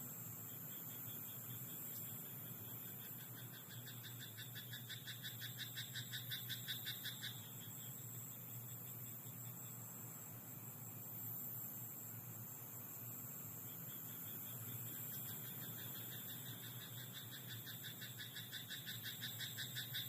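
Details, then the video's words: Night-time rice paddy frog giving bursts of rapid, rattling pulsed croaks, one run of about five seconds, then another after a quiet stretch. A continuous thin high whine and low background hum persist throughout. "田んぼのカエル "Croaking frog in rice paddy at night""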